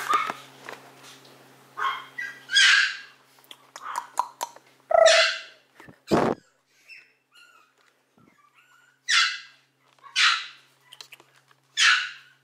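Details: Maltese in warm sunshine: a series of short, sharp, high-pitched barks and yaps, some in quick pairs, with pauses between bursts and a brief low hum early on.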